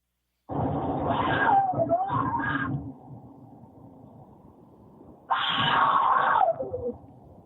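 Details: Cougar in a recording described as a horny cougar, played back indoors: two harsh, raspy screams, the first about two seconds long with a wavering, falling end, then a short pause and a second shorter scream that drops at its close.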